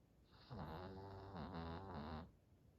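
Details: Hodu, a short-haired senior Chihuahua aged 91 months, snoring after a two-hour walk: a steady rasping snore with a low rumble, one long drawn breath of about two seconds in a quiet small room.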